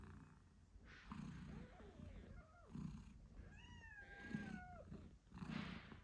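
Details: Eight-day-old British Shorthair kittens squeak and mew over their mother Moon Stone's pulsing purr as she nurses them; one longer wavering mew in the middle, low rhythmic purr bursts throughout.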